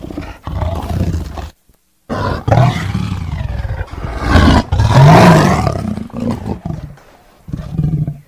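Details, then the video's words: Deep, throaty tiger roars rolling on with a short silent gap near the start, building to a louder, raspier peak midway before easing into lower grumbles. "Suara Harimau ( suara binatang )"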